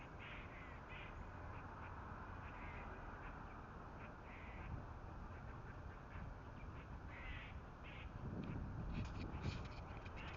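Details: Squirrel warning calls given at predators, with two cats nearby: faint, short, rasping chucks repeated rapidly, about four per second in uneven bursts, over steady low background rumble.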